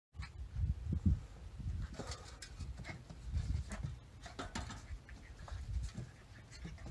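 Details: Two Rat Terrier puppies, Bella at 12 weeks and Macchi at 8 weeks, play during their first days together. Low rumbling growls come in short bursts, mixed with scuffling, thumps and panting.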